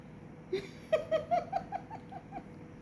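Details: Kitten with its mother cat in Bangladesh, eager to nurse while the mother refuses to feed it. It gives a quick run of about eight short, high mews, each rising slightly in pitch, spaced roughly a fifth of a second apart, then fading.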